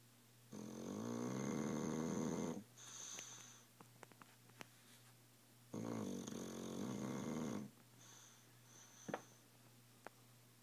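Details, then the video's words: Loud snoring from Tilly, a dog fast asleep: two drawn-out grating, rumbling breaths about five seconds apart, each lasting roughly two seconds, with faint whistling exhales and small ticks between them. "Tilly snores like a freight train"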